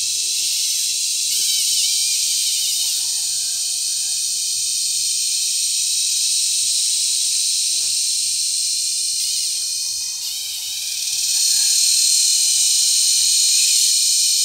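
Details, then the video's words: In cicada season at Sitio Bagumbayan, Brgy. Balabag, La Carlota City, Negros Occidental, on July 18, 2020, a mating cicada makes a very loud, sustained shrill buzz that swells and eases slightly, then grows louder near the end. "Cicada Mating"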